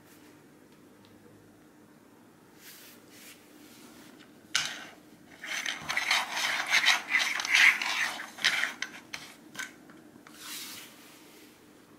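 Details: Cups or objects scraping and rubbing on a surface indoors, in bursts over a faint hum, with no animal voice.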